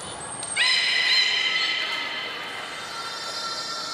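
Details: Training belugas Hodoi, Taanya and Mirai at the Port of Nagoya Public Aquarium on 2 August 2019. A thin high whistle opens, then a sustained, bright, buzzy harmonic call holds level for about three seconds before tapering off.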